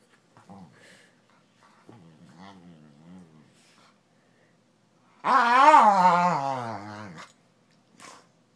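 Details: Duncan the dog decompressing from the day on the couch indoors: a few soft murmuring grumbles, then a loud two-second wavering harmonic growl that rises and slowly falls, ending with a short faint sound.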